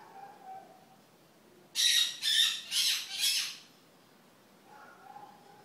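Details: Marmoset, a mother with two babies, giving four harsh, noisy high-pitched squawks in quick succession near the middle, with faint thin whistled tones before and after in a quiet setting.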